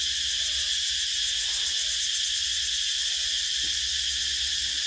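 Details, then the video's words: A steady, piercing insect buzz from cicadas in summertime, unchanging and constant across the whole short stretch, over a quiet low murmur. "Tiếng Ve Sầu kêu mùa hè"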